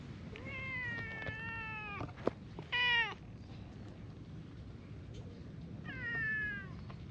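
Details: A friendly brown tabby stray cat in a park gives three loud, clear meows while following behind: a long drawn-out one, a short sharp one, then a slightly falling one. Steady outdoor hiss and a single click behind.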